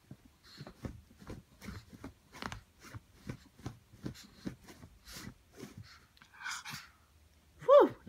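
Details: Rocco, a Brussels Griffon, trying to fluff up his bed: rhythmic scrabbling strokes at roughly three per second, then a brief pause and a short, high, whiny yelp at the end.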